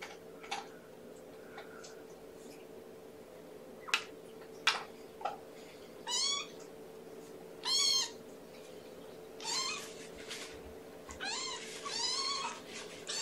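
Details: Hungry kitten Amber, syringe-fed at breakfast in May 2018, gives a run of five high wavering meows spaced one to two seconds apart after scattered clicks and handling noises indoors.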